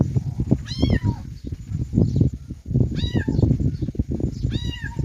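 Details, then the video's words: Kittens give three piercing, arched meows, each ending in a downward slide, spread across a few seconds amid heavy low-pitched rustling and bumping sounds. "kittens meowing"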